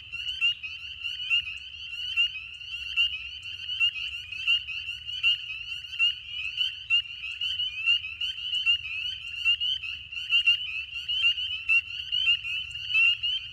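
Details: A dense spring peeper chorus in a swamp: countless high, piercing peeps overlap into a constant shrill ringing.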